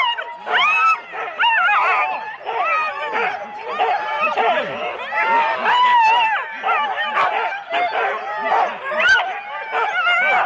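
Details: Sled teams of four Husky dogs awaiting the start, Rendlesham, January 2016, analogue cassette recording: continuous excited clamor of barks, squeaky yips and bending whines from many dogs, pulsing in loudness.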